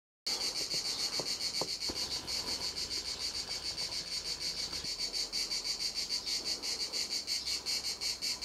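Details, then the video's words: Cicada at Montcarra, a loud, shrill, buzzing song that starts abruptly and throbs steadily, pulsing about twice a second without a break, with a few faint clicks in the first two seconds. "cigale a Montcarra"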